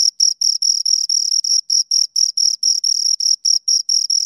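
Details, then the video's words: Two crickets giving clear, ringing high chirps in a brisk rhythm, about four per second, each pulse short and even, with no other sounds present. "Two Crickets Chirp Sounds"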